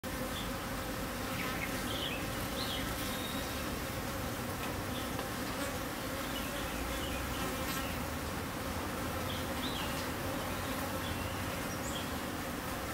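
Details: Dwarf honey bee buzzing in Chiang Mai, Thailand: a dense, steady low hum continuing without a break, with faint brief higher chirps and ticks scattered above it.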